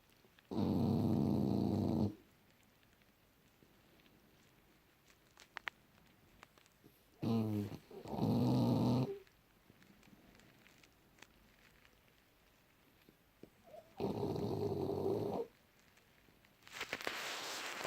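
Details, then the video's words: Junior, a French Bulldog, snoring in deep sleep, January 2018: three loud, rasping, low snores, each lasting about one and a half seconds, separated by long quiet pauses with faint clicks and rustles between them. "Junior bouledogue français rigolos qui ronfle profondément"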